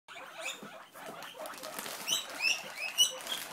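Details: Pet guinea pigs, a mother and her young, crying to beg for lettuce: shrill, rising squeaks repeat several times in the second half over rustling and scrabbling.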